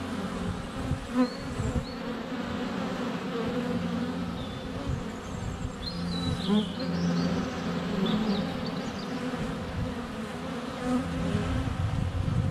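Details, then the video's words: Honey bees swarming at a hive entrance on a sunny February day, filmed up close with a GoPro Hero 7 Black; dense low humming buzz from many bees in flight, with faint birdsong chirps above and occasional thumps of bees landing. "Honey Bees - ambient video and audio"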